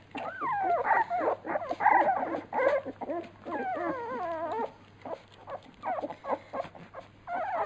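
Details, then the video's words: Labrador Retriever puppies at feeding time, a litter of pups giving dense overlapping high whines and squeals with wavering, bending pitch, bursts packed for about four and a half seconds, then sparser yelps, low hum underneath. "Fütterung bei den Labrador Piranha Welpen"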